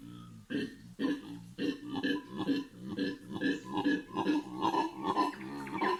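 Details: Howler monkeys calling on a morning in the Amazon rainforest of Bolivia: deep, guttural grunting roars pulse about twice a second and build steadily in strength across the whole stretch.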